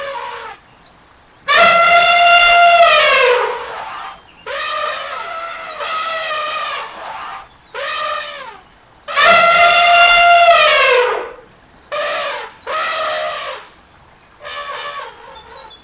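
An elephant trumpets in loud, brassy blasts, each lasting one to two seconds, repeated several times.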